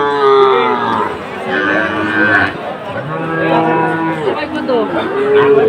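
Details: Sahiwal cattle at a bull market in Comilla, Bangladesh, on 7 September 2024: repeated long, bellowing moos that rise and fall, overlapping one another, with traders bargaining and crowd noise behind.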